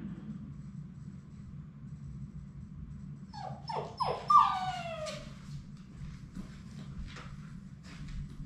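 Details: Labrador Retriever puppy, part of Sadie's final three at High Desert Labradors on their last day before going home, inside. A quick series of three or four sharp rising-then-falling whimpers ends in a longer drawn-out whine over a low steady hum.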